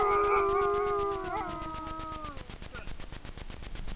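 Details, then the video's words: A grey wolf pair in Frýdlantsko, Czech Republic, howling at night before a camera trap: two overlapping voices hold level tones, then fade and fall away after about two seconds, leaving a regular ticking hiss. "Vyjící vlci na Frýdlantsku"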